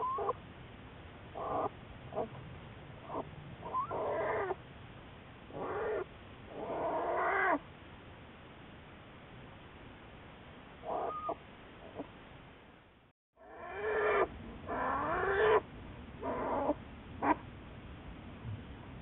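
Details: Juliet, an American black bear studied by Wildlife Research Institute biologists, recorded March 1, 2014: bursts of harmonic, wavering, whining cries, some rising and falling, repeated in irregular clusters with short pauses and one brief dropout.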